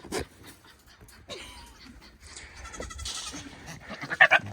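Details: Domestic buck goat on a homestead, courting a doe: broken, wavering bleats and snorting, throaty sounds scattered across the clip, with a person laughing and loud bursts near the end.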